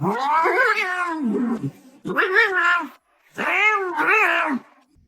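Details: Domestic cat indoors giving three long, drawn-out wailing meows, each about a second long, rising then falling in pitch with a strained, yowling tone, separated by short pauses.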